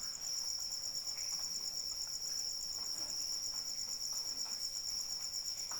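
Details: Continuous bright pulsing from a cricket sounds through steady light rain, the high trill never breaking while small drips and splashes tick irregularly below.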